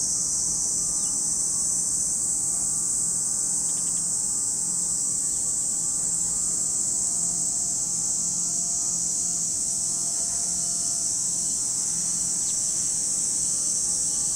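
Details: Continuous high, sizzling cicada drone at Lake Kamo in Sado City, Niigata Prefecture, Japan, steady for the whole stretch, with a few faint brief chirps and a low background hum.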